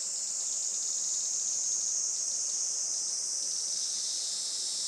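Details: Cicada chorus on a traditional farm in Saitama, Japan, on a sunny July 20, 2024, around 11:30 am: a dense, continuous high-pitched hiss-like buzz, steady throughout with no breaks.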